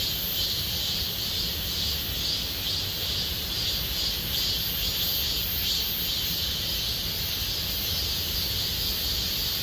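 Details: Summer cicada chorus in the Gomsol Nuri pine forest, Sihwa district, Korea: continuous piercing high buzzing that swells and fades slightly in soft rhythmic pulses, over a steady low-pitched outdoor rumble.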